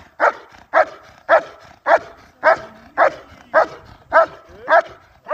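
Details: German Shepherd during IGP competition training, barking in a steady, rhythmic series of ten loud, sharp barks about every half second.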